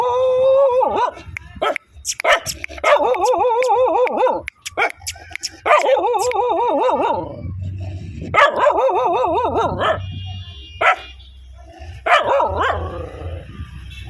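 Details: Angry dogs barking and growling loudly: wavering, harmonic outbursts of one to two seconds, returning roughly every three seconds, with short sharp yaps between them and a low rumble underneath.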